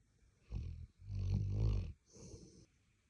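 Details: A sleeping Labrador Retriever snores in three rough, low, rumbling breaths over about three seconds. The middle breath is the longest and loudest, and a faint high hiss lies behind them.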